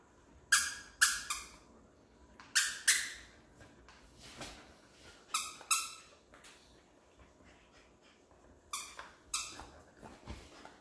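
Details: German Shepherd fighting with its owner over her toy indoors, giving sharp barks in pairs and short bursts, with quiet gaps between groups of barks.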